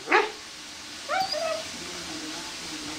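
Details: A Corgi excitedly playing a laser-chasing game lets out a single abrupt, high-pitched bark, then about a second later a short, strained, whining yelp that rises and falls, with quiet room noise between them.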